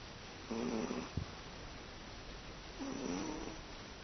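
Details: Sleeping house cat named Teto, comfortably asleep indoors, gives two low buzzy snores about two seconds apart, each half a second long with a wobbling pitch, plus a soft click between them.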